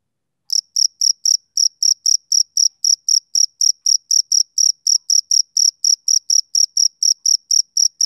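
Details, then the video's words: A steady, unbroken train of about thirty bright, shrill chirps from a male cricket, roughly four each second, starting after half a second of silence. Clean background. "Cricket Chirping Sound Effect"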